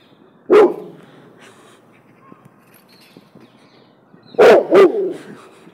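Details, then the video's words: Cane Corso mix terrified of a balloon, barking in fear: one loud gruff bark, a quiet gap, then a quick double bark near the end over a low background hum. "BALLOON PHOBIA Cane Corso Mix Terrified"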